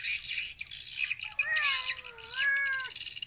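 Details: Tiger the cat, out hunting rats in a rice field, gives a single drawn-out meow of about one and a half seconds that dips and then rises again, over a backdrop of chirping birds and insects.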